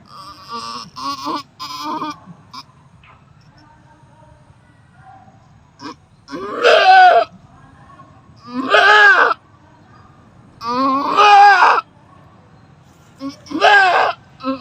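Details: Goat bleating while giving birth for the fifth time; faint clicks and brief sounds early on, then four long, loud, vibrato bleats spaced about two seconds apart.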